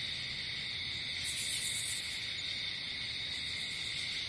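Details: Night-time crickets outdoors: dense, constant shrill chorus layered in two high bands, no pauses, with a brief brighter flare of higher insect buzz midway and a faint low background hum.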